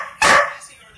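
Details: Greyhound giving a single short, loud bark to get someone's attention because it wants something; indoors, with a person's voice just before.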